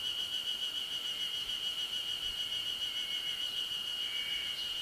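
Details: Yezo spring cicadas calling along a 900 m ridge in the Ashiu primeval forest on 26 May 2012, loud and close: a dense, pulsing high-pitched trill sustained without pause, with a few thin rising notes late on.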